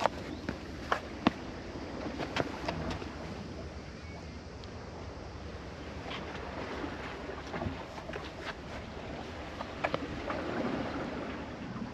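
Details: Outdoor wind noise rumbles on a cat island, with scattered clicks and taps and faint speech in the background.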